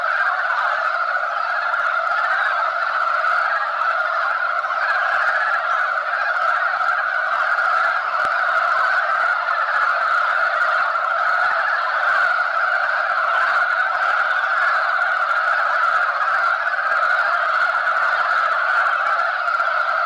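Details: At spawning, a crowd of male mountain frogs fights over females and keeps up a thick wall of croaking. The chorus is unbroken, mid-pitched and even in loudness, with one faint click near the middle.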